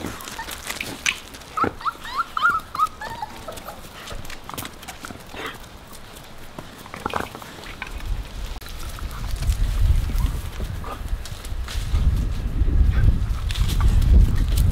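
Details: Puppies with Bek make a quick series of thin, high whimpering squeals early on. Scattered clicks and knocks follow, and deep rumbling handling or wind noise builds toward the end.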